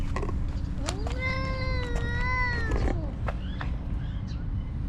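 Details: Homeless stray cat in Ras Al Khaimah, UAE, uttering one long, drawn-out meow lasting about two seconds with a steady, slightly wavering pitch, over constant low rumbling hum and a few brief knocks.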